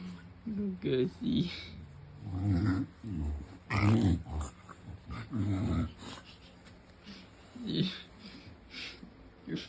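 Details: English Bulldog lying on his back indoors, making funny pig-like noises: low, rumbling growls and snorts in short bursts, irregularly repeated about every second or two, with people talking and laughing over them.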